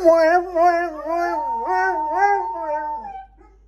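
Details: Domestic dogs give a close, loud, wavering howl, several overlapping voices rising and dipping in pitch before fading out.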